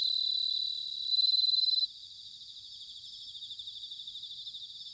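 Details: An autumn chorus of bell crickets recorded at Sanuki in Chiba Prefecture, Japan. A loud, steady high ring fades after about two seconds into quieter, rapidly pulsing trills, roughly four pulses a second.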